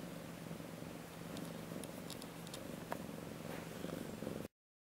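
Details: A female Siamese cat purrs steadily while getting tummy rubs, a low, even rumble that pulses with each breath.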